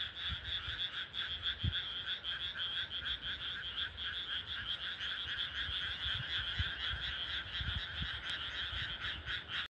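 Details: At night in country rice fields, many frogs croak together in a dense, rapidly pulsing chorus, about two pulses a second audible over a constant trill, with occasional faint low thuds.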